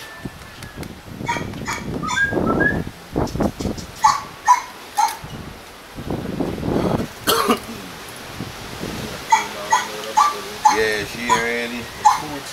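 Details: Two Doberman Pinschers at a kennel in Arnos Vale, St. Vincent and the Grenadines. Low rough barks open the recording, then high, clear whimpering whines repeat about twice a second, mixed with short yips toward the end.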